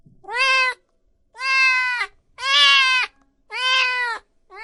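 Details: Cats and kittens meowing loudly, four long even meows of about half a second each, repeated roughly every second, rich in harmonics with a clean quiet background.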